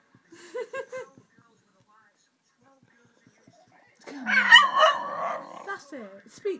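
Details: Pet dog, female, singing for her owner: a woman's short coaxing words, a long quiet gap, then a strong, warbling howl with growly undertones that wavers and tails off into a few sliding whimpers.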